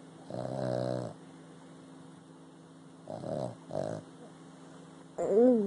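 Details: Sleeping Boston Terrier snoring, a long buzzy, pulsing snore followed by two shorter rasping breaths a few seconds later; a person starts speaking at the close.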